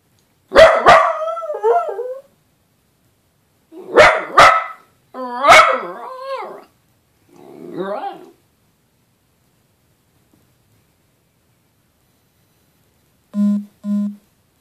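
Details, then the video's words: First-time howling from Scooter the dachshund: a series of barks with quavering, wavering tails, then a softer muffled yelp. After a long silence come two short, low tonal notes at the end. "Scooter the dachshund first time howling"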